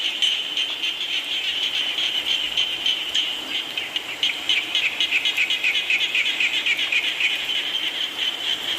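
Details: Frogs calling amid falling rain, a dense high chorus of rapid pulsed notes near four per second, steady and overlapping, with a broad hiss of rain beneath.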